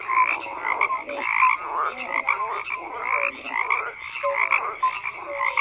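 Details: Many frogs croaking together, buzzy pulsed calls interlaced with brief whistled-sounding notes, the chorus pausing briefly now and then before surging back, no other animals or noises evident.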